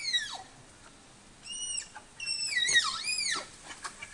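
Tapir calls come as high, thin whistles, some held steady and others sliding sharply down and back up. The squeals arrive in short bursts separated by brief pauses.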